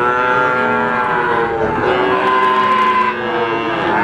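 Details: Mooing from three-month-old Simmental, Limousin and Pegon calves kept for sale in Indonesia: sustained, strongly harmonic lowing with overlapping voices and gently sliding pitch, steady and loud throughout.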